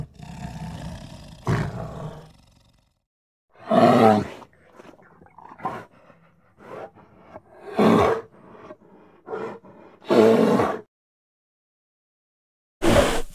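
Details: Grizzly bear recorded in the USA: scattered bursts of rough, throaty growling and roaring, separated by uneven pauses and quieter grumbles, with no other clear sounds.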